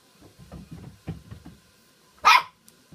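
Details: Poodles at a Christmas Eve party indoors, one sharp loud bark rising out of a stretch of low, soft muffled sounds and scuffling in a small room.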